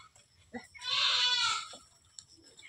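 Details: Goats on a Bengal farm with a herd of about a hundred; one drawn-out, quavering bleat lasting under a second, with faint voices and background noise around it.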